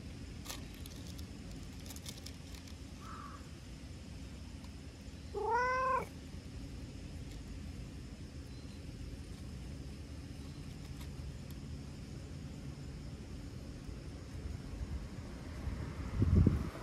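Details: Talkative brown tabby-and-white stray cat, rubbing and licking in return for being petted, gives one clear rising-then-falling meow midway, with a faint short mew shortly before, over a steady low outdoor rumble.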